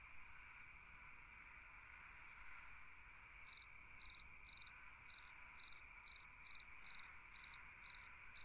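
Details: Summer-night cricket song: after three seconds of only a steady insect hum, sharp pulsed chirps begin and repeat regularly about twice a second until the end, high and clear above the background drone.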